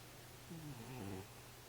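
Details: Domestic cat asleep, giving one low, wavering harmonic snore of just under a second with a slight rise and fall in pitch, against a constant low background hum.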